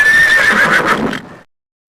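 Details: A horse gives a single whinny, a high steady tone that turns into a trembling, quavering tail and dies away after roughly one and a quarter seconds.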